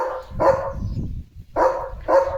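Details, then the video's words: Pet German Shepherd barking to call its mummy (owner) out of the house, with care and insistence: three loud, short barks, one then a pause and two close together, over low background rumble. "German Shepherd कसा मम्मीला बोलवतोय – आवाजात काळजी!"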